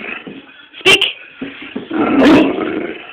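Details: A Great Dane puppy learning to bark on command gives a single short, rough bark after a person's spoken prompt to speak.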